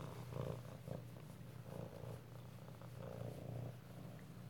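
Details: Kittens at home in Alabama, recorded close-up on 7 February 2018, purring steadily: a low, continuous rumbling purr with soft rhythmic pulses about once a second, in a quiet small indoor room.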